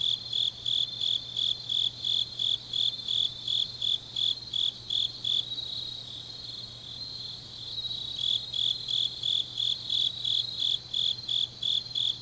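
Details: Deep-night autumn grass insects in Changnyeong, Korea: regular high chirps about three per second, pausing for a couple of seconds mid-clip while a continuous shrill background trill carries on, then resuming; faint low hum underneath.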